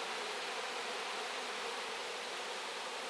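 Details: Honey bees cleaning out wax, flying heavily laden with honey; a thick, unbroken, even drone of many wings, broad and hissy, holding the same level throughout.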